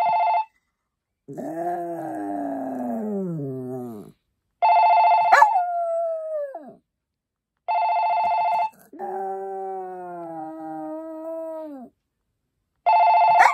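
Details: Maltese dog howling along with a repeated buzzy electronic ringing tone. Long wavering howls slide downward in pitch and fill the gaps between the ringing bursts, roughly every four seconds.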